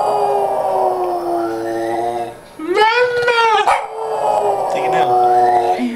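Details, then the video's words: Pet Boston Terrier howling, described as singing to its owner: long sustained harmonic tones, a brief break, then a sharp rising yelping howl and another drawn-out wavering note; a person's voice may mix in. "boston terrier singing to his mommaa :)"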